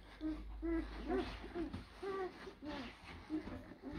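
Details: Blue Great Dane puppies from European-bred litters born in April 2023 at the Hradecká hvězda kennel. Short tonal whines and grunting squeaks come one after another at an uneven pace, about twice a second, with soft background noise.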